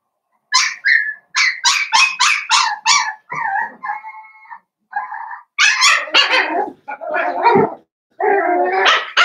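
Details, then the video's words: Five blenheim Cavalier King Charles Spaniel puppies, born on New Year's, playing with their mother Paris in a home puppy pen: bursts of rapid high yips and barks, a brief steady whine, then rougher growly play barks. "Cavalier Puppies Play with Mama"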